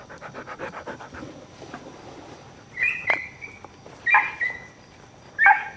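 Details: Three shrill, ringing yelps from a dog, spaced roughly a second apart, each starting high and sliding slightly down, preceded by soft rapid pattering sounds.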